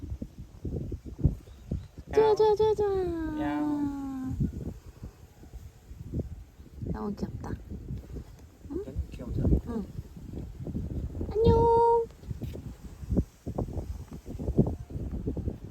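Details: On Jeju in autumn, a forest cat utters one long meow that starts high and sinks slowly, later a shorter steady cry, while people chat and move nearby.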